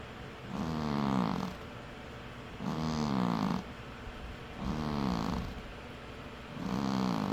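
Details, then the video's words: Domestic cat asleep and snoring, four steady rasping breaths about two seconds apart, each a buzzy drawn-out snore that rises and falls in loudness against a soft quiet background. "Cat Snores"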